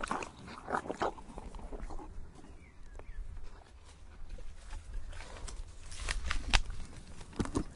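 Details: Horse gnawing on tree bark, giving dense rough crunching and grinding with sharp cracking bursts, heaviest toward the end, plus a low rumbling background.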